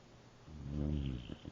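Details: A sleeping German boxer snores once: a deep, rattling rumble that swells and fades over about a second, followed by two faint breathy puffs.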